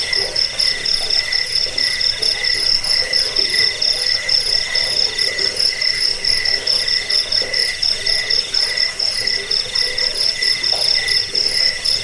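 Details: Chirping of crickets, shared as a rat repellent, bedtime sound and master recording for songbirds; shrill sustained trill with lower pulsed chirps repeating a little over twice a second, slightly irregular, without any other clear sounds.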